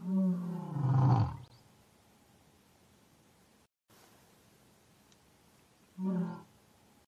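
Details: Low harmonic roar from an African lion trailing into a deep rumble, a silent stretch with a short cut, then another brief grunting roar and a final onset.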